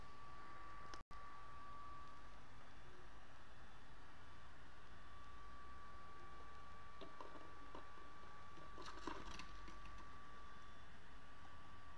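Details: Quiet indoor room tone with low rumble, a faint steady whine and a few soft clicks, with no animal voice.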